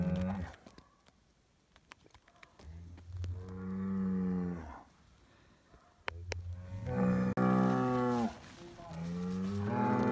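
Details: Highland cattle bull kept on a farm in Finland calls while getting bread: a short moo, then two longer deep moos a few seconds apart, each rising slightly before falling, with clicks and handling noise between.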